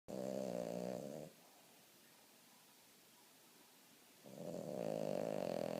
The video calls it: Boston terrier snoring (aka Roxy)